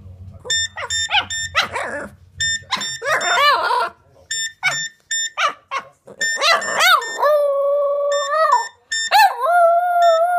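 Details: A Boston Terrier howls in long, wavering tones along with a ringing phone's repeated electronic beeps; the dog loves to howl with anything that makes noise.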